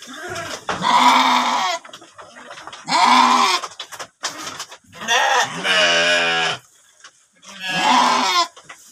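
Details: A ram kept in a pen bleats four times. The calls are loud, drawn out and wavering, the third lower and more tremulous than the rest, with faint knocks and rustling between calls.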